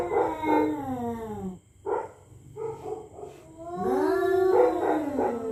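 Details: Territorial cats facing off at night: a falling moaning yowl, short growling bursts, then a long rising and wavering caterwaul as they threaten each other, with faint steady hum.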